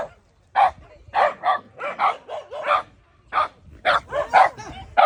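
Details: Shimeji, a Shiba Inu, barks at a gorilla in uneven bursts, pairs and triplets of sharp mid-pitched woofs broken by short silences, with possible voices in between.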